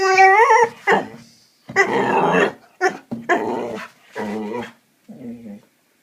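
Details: Seven-month-old Hungarian Vizsla making funny noises indoors: opens with a high whine, then several short gruff growls and grumbles in uneven bursts, ending with a soft low moan.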